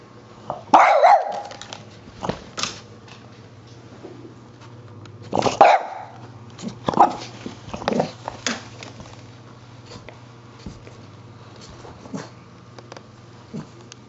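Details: Indoor French Bulldog barking at a dust buster, with repeated harsh, irregular barks in bursts, some doubled, over the constant low drone of the running vacuum.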